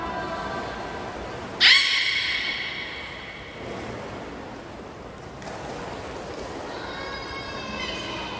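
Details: During a training session at Port of Nagoya Public Aquarium, Japan, on 16 November 2024, with all belugas taking part: a sudden strong, rich harmonic cry near two seconds, then a softer repeated call near seven seconds in a reverberant pool.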